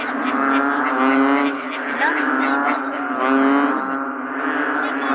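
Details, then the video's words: Short stretch of bullfrogs calling in rainy weather: steady chorus of deep, harmonic croaks blending into a drone, with two louder swells and a brief higher sliding note. "The Bullfrog 🐸during rainy days.🌧️"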